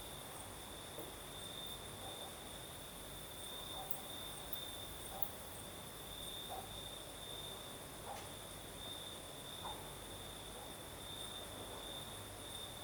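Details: Crimean crickets at night keep up a continuous high, rapidly pulsing chirring on one steady note, a faint higher band above it. A few soft clicks break through a wash of night breeze.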